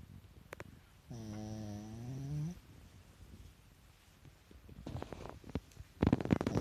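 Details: Sleeping Pekingese kept as a pet, eyes rolled white, lets out a single drawn-out droning snore that dips then rises in pitch, followed by quiet pauses and later rustling and shuffling noises.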